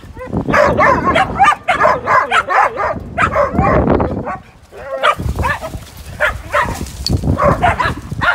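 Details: Fourteen dogs playing in snow: rapid, repeated barks from several animals overlap almost continuously, with a brief lull midway before more scattered barking.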